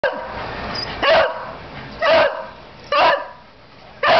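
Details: Pet dog barking for a treat: four short, sharp, loud barks spaced about one second apart, with quiet pauses between them.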